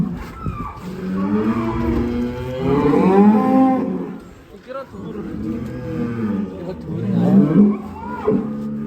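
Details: Cattle mooing in Indonesia: a long, low, wavering moo lasting nearly three seconds, then a shorter rising call near the end, with a constant low rumble and some murmured voices.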